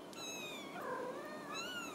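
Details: Ragdoll kittens with their mother at a home cattery in central Kansas; high thin mews overlap, one descending, another lower wavering cry, then a rising squeak, in a quiet room.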